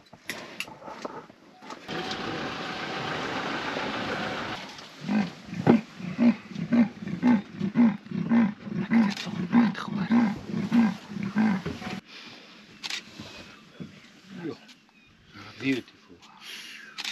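A leopard gives its rasping sawing roar, a run of deep hoarse grunts like wood being sawn.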